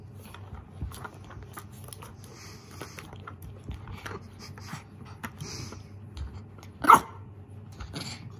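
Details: Nervous mame shiba puppy Koro threatening a lint roller at home. Low rustling and quiet thumps run through, broken late by a single sharp yap and a fainter follow-up sound.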